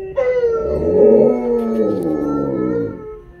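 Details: Indoor duet of a Malamute and a Blue Bay Shepherd howling together: one long, smooth howl that swells and slowly falls away, with a second, lower voice blending beneath it.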